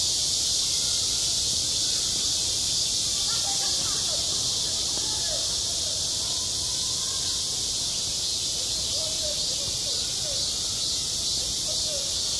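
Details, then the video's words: Cicadas singing on a school playground in high summer: a dense, unbroken high-pitched hiss-like drone that holds steady throughout, with faint scattered chirps lower down beneath it. "한 여름 운동장에서 매미가 울고 있다"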